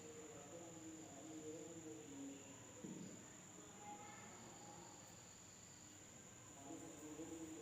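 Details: Night insects in an Indonesian village keep up a continuous thin, high ringing tone without pause, while soft voices and occasional low murmurs drift in the background.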